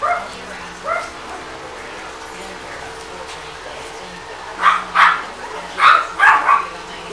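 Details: Griffon x Yorkshire Terrier puppies playing, giving short high yips and barks: a couple early, then a cluster of four or five quick yelps near the end, with a steady low hum underneath.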